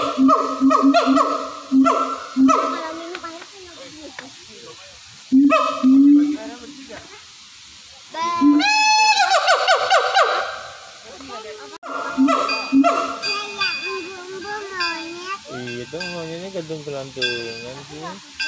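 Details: Siamangs in a zoo give a loud morning call of repeated hooting notes breaking into rising, wavering whoops.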